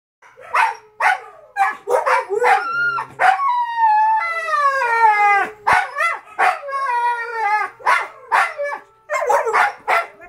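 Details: Siberian Husky puppies howling in the background at 2:00 AM while the adult mother and father huskies complain to each other; long wavering howls with rising and falling slides, mixed with short repeated yelps and vocal bursts.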